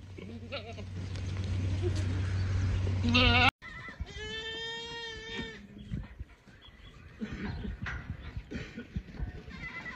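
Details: Boer goat, a South African breed, giving one long, steady, harsh bleat of about a second and a half after an abrupt cut. Shorter wavering bleats and a low hum come before it, and faint noises follow.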